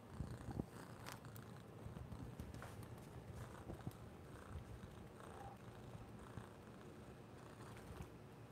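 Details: Orange cat Noah seeking affection, purring in a continuous low rumble, joined by a few soft clicks and brief rustling sounds that stand out above the steady drone.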